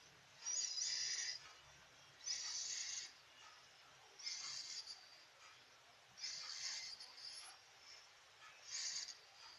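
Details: Sleeping domestic cat snoring: five raspy, hissing breaths about every two seconds, each lasting under a second, with quiet pauses between them in a calm indoor setting.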